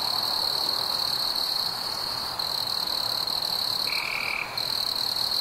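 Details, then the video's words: Chirping crickets on a warm summer night with fireflies: a continuous shrill, even trill with a tiny break near the middle. One short lower buzzy note appears toward the end. "Fireflies and Crickets - Calming sounds of the night"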